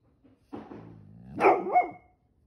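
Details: Pet pit bull Ranger objecting to his tail being grabbed: a low rumbling growl swells into a louder, wavering, howl-like protest, then fades.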